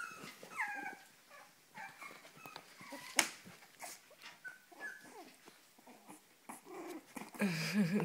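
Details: Cavalier King Charles Spaniel indoors giving short, high, whining whimpers that bend up and down, scattered through the clip among soft snuffles and a sharp knock, while a person speaks Spanish nearby.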